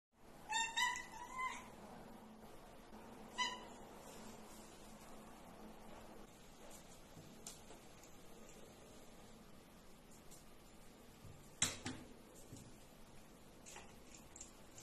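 A Russian Blue cat gives a few high, thin meows, then falls quiet against faint room noise.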